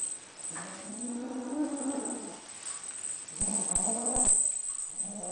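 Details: Possessive lilac Ocicat kitten, female, growling over a toy: a sustained, rough harmonic grumble for about two seconds, a brief lull, then another rumbling growl broken by a few sharp clicks, ending with a short final growl.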